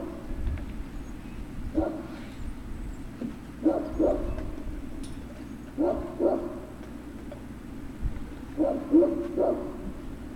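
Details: Great Dane puppies at Puppy Hill, recorded on 03-06-2019 in the late afternoon, give short yelping barks in quick pairs, repeating every couple of seconds over a steady low hum.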